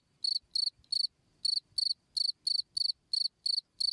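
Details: Cricket chirping, recorded as a master sound for training songbirds: short, bright, pulsed chirps repeated in slightly uneven bursts roughly three times a second, with a faint low rumble underneath.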